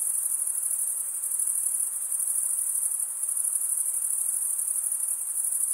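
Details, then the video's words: Crickets stridulating, the males running one wing across the teeth of the other; a sustained high-pitched whirring trill fills the whole stretch, even and continuous, with light background noise. "Most relaxing cricket sound for 8 hours"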